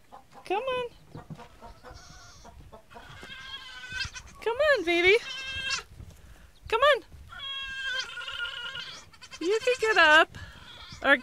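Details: Nigerian Dwarf goat kids on their first day, coaxed by a woman to get up and come out, give wavering, quavering high bleats in short bursts, several overlapping, between her soft encouraging speech.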